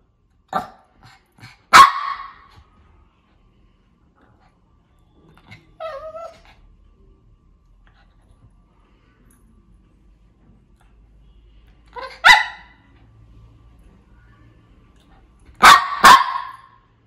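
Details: Shih Tzu barking in scattered bursts: a few single and doubled sharp barks separated by long quiet gaps, with faint soft sounds between them.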